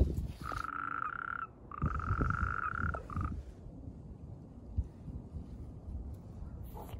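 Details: Natterjack toad croaking during mating, with amplexus noted. Three rattling, pulsed trills at a steady mid pitch, two long and one short, fill the first half, followed by quiet low rumbling background.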